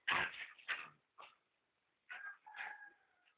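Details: A pet dog at play: a few rough high yelps followed by two longer drawn-out whines, with quiet gaps between.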